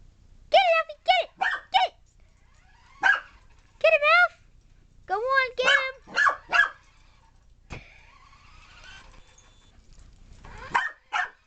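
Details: Alphie, a puppy chasing a remote control car, gives rapid high yips and barks in quick bursts, some with rising and falling tonal whines, broken by a clatter and a quiet stretch.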